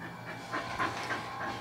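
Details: Luke, an excited dog in a very happy mood, pants rhythmically in short breathy bursts while showing off tricks he was taught at home, with soft rustling in the background.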